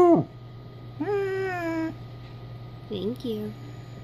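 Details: A 3-year-old female Basset Hound "converses" with her owner during a laundry break, rarely giving lower howls. A quick falling yelp leads into a drawn-out mournful howl, then short bending yowls over a faint electrical hum.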